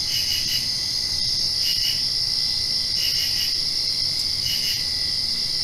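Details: Night chorus of crickets just after a rain, a continuous high-pitched ringing tone overlaid by clustered double chirps about every one and a quarter seconds; soft low background hum.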